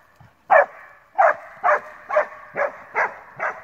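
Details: Male Alpine Dachsbracke barking at wild boar on his first encounter with them, a session lasting about thirty minutes: seven loud, rhythmic barks roughly every half second, with echo filling the gaps.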